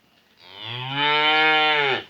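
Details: Calves in their new pen give a loud, drawn-out moo about one and a half seconds long, rich in harmonics, rising at the onset and falling off at the end; a person calls nearby.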